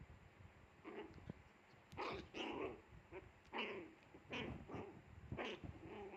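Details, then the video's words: Fierce Pomeranian dog growling and snarling in a series of short rough bursts, about seven over six seconds, with quieter grumbles between them. "ดุแบบนี้ต้องไปปล่อยวัดแน่นอน #ปอมเมอเรเนียน"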